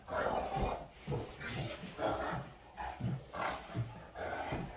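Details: Two Great Danes at play, their gruff growling barks coming in short repeated bursts roughly every half second to second, mixed with quiet human voices.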